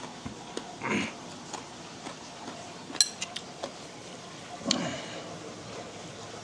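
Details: Clinking dishes, cutlery and glass sound in a small room, with bits of speech and no animal voice.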